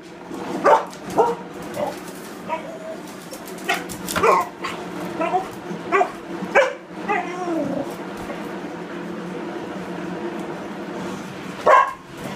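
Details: Restless Border Collie whines and yelps in a rapid, uneven series of short, harmonic-rich whimpers over several seconds, then falls quieter before one last sharp cry; room noise persists underneath.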